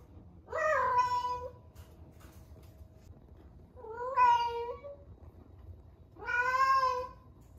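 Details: An 11-month-old rescued female cat named Ame, in her first heat, calling loudly: three strong, drawn-out meows, each about a second long, roughly every two to three seconds, with overtones reaching high up.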